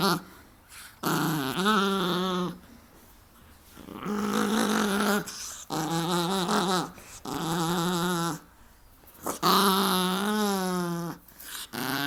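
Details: Playing and wrestling with its owner, a dog repeats about five long, wavering, tonal moaning growls, each lasting one to two seconds, with pauses between and occasional human speech.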